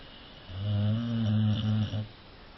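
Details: Cane Corso dog snoring indoors in a small room: one long, low, droning rasp with steady harmonic tone, lasting about a second and a half, ending in a brief fluttering catch, over quiet background.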